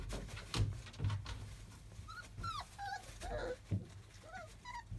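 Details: Field-type Labrador Retriever puppies, 31 days old, playing indoors climbing over cushions and a whelping box; soft high whimpers and squeaky yips rise and fall amid thumps and rustling.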